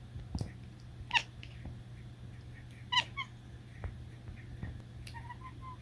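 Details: Quiet cat chirps: three or four brief, high, tonal trills spaced a second or two apart, plus a short series of soft repeated chirrups at the end, all over a steady background hum.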